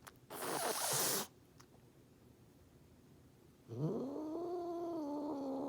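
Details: Angry domestic cat making threats: a sharp, breathy hiss lasting about a second, a pause, then a long rising moaning growl that levels off and holds steady.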